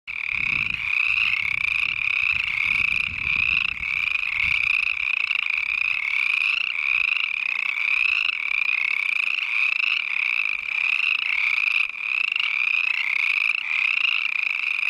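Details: Chorus frogs in a pond by a trail along the Mirror Lake Highway, Uinta-Wasatch-Cache National Forest, call in a dense, unbroken chorus of overlapping creaky trills rising in pitch like a thumbnail along a comb; disturbance silences them.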